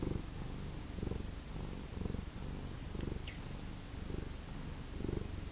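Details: Domestic cat from a feral cat family, purring in steady low rumbling pulses roughly once a second, each swell rising and falling, with a brief faint high scrape midway.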